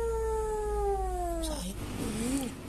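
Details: Kitten found behind a door, crying in fear: a long, slowly falling meow with clear harmonics, then a brief wavering lower mew, with low room hum beneath.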